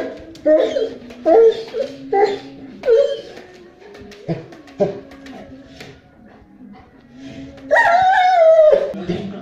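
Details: Male Neapolitan Mastiff confronting a gas cylinder it hates: short whining yelps, then a long, wavering, strained howl near the end, with people talking throughout.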